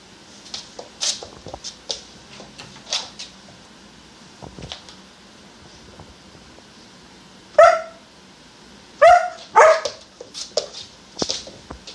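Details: All-black purebred German Shepherd puppy named Nymeria, 14.5 weeks old, chasing her own tail indoors; a few sharp yipping barks burst out near the middle and end, between softer scuffling and shuffling noises.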